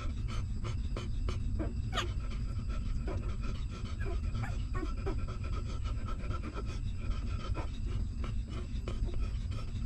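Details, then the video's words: Newborn puppy nursing from its stray mother dog, hungry and sucking milk: quick irregular sucking clicks and panting-like breaths, one sharp squeak near the start, under constant low-pitched hum. "Hungry Puppy Sucking Milk"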